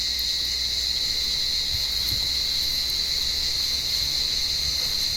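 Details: Cicadas calling from an olive tree on a warm evening while blind cats climb the branches to hunt them; a steady, high, shrill buzz holds unbroken throughout, with a fainter lower hum beneath and a few soft thumps.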